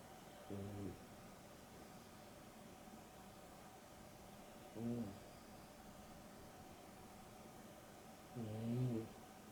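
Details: Sleeping Boston Terrier and Beagle cross, Dexter and Rio, napping in the afternoon; three drawn-out, tonal snores with a buzzing, vibrating quality, roughly four seconds apart against a soft indoor hum.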